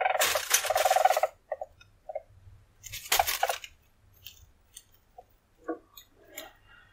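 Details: Weasel giving two rapid, buzzy pulsed trills, the first about a second and a half long and the second shorter, followed by scattered soft clicks and faint chirps in a quiet setting.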